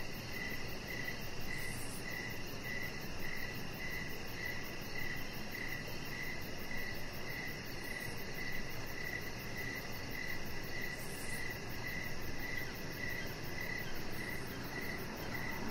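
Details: A long run of cricket chirps on an evening deck where a chihuahua puppy lies: rapid, regular high pulses about every half second, with occasional faint very high hissy bursts and steady low background noise.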